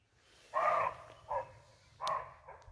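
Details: A barking deer in Halland, Sweden, in May gives short, hoarse, doglike barks, repeated at irregular intervals.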